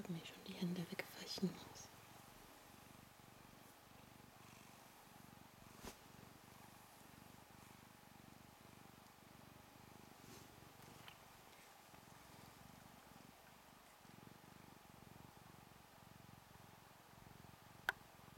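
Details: Ragdoll kitten from a two-week-old litter purring in a small room, a low continuous pulsed rumble running throughout, briefly overlaid by whispered voices near the start and a faint background hum.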